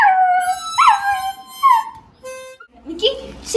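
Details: A toy poodle puppy in Kerala howls along to its owner's mouth organ tune in wavering, rising whines, as if singing.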